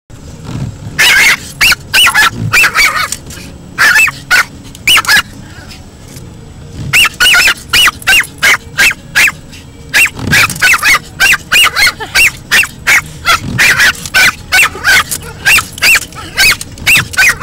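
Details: Lexi, a 10-month-old Pomeranian, barks frantically at car windshield wipers that frighten her: sharp, high yaps fired in rapid bursts of several, with short pauses between volleys and a faint background hum.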